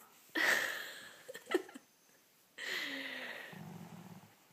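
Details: Slider, a pet dog reluctant to leave bed in the morning, gives two breathy, drawn-out yawning sounds with a falling groan, separated by a short pause, indoors in a small room.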